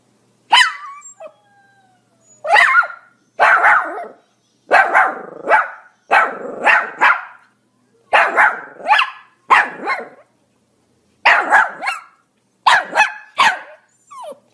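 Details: A Pomeranian dog barks repeatedly, about a dozen sharp, shrill yaps, often in close pairs, spaced roughly a second apart in an otherwise quiet setting.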